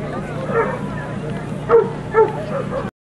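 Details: Boxer females on Sunday, 25 March 2012: a faint early bark, then two louder clipped barks close together near the end, set against a low hum of background noise and voices.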